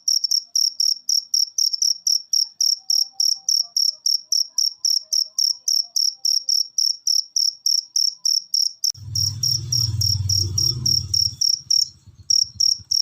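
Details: Cricket chirping from a ten-minute masteran recording played to lazy pet birds to make them sing. High, even chirps come about three and a half times a second. A low rumbling noise breaks in for a few seconds near the end while the chirps continue.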